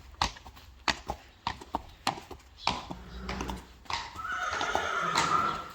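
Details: Friesian mare being taken to a stallion for breeding, hooves clopping steadily on a hard surface before a drawn-out whinny of about two seconds rises over the footsteps near the end.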